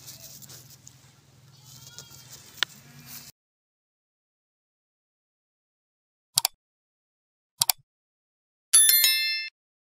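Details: A white goat in snow in a harsh climate gives a short, harsh, wavering bleat after a stretch of low rumbling noise and two sharp clicks.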